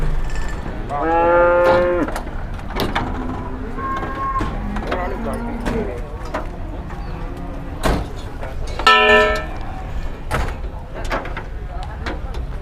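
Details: Jumbo Peranakan Ongole cattle at a livestock market in Muntilan, Indonesia, on an overcast morning: several harmonic lowing moos from more than one animal, a strong one near the start and another near the end, over crowd chatter and thumps.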